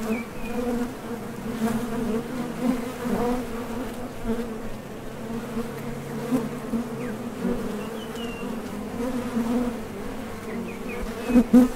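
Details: Foraging honey bees flying in and out at a Top Bar Hive entrance, producing a continuous low buzzing hum with occasional louder close fly-bys and faint brief high chirps in the background.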